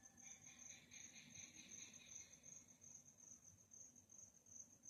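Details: Nighttime cricket chirping: a continuous, piercing high-pitched trill, joined during the first two seconds by a softer, lower buzzy rasping insect layer, over faint low rumble.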